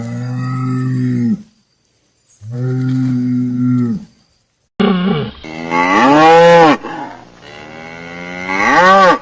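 Cattle give deep, drawn-out moos, the later ones rising into loud bellows.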